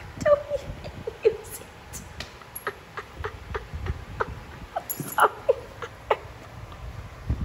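A Shiba Inu gives short, high whining yelps at irregular intervals, with soft knocks and thumps between.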